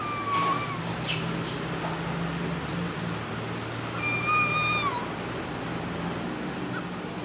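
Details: Baby monkey standing up and screaming loudly: two drawn-out, steady, whistle-like cries, the second slightly falling at its end, over a constant low hum and some clatter.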